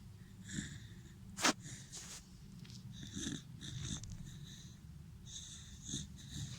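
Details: A Dachshund snoring: wheezy, hissing breaths with faint whistling overtones recur about every second, with one sharp click early on.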